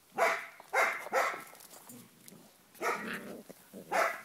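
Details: Seven-week-old Cardigan Welsh Corgi puppies at a kennel on the Volga give high, sharp yapping barks, three in quick succession, a pause, then two more, each a short bright burst.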